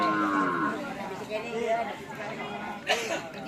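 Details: Cattle at a Karapan Sapi bull race gathering on the Asemanis field, Pamekasan: a drawn-out lowing moo sliding downward in pitch during the first second, set against crowd chatter, background music and a sharp knock near the end.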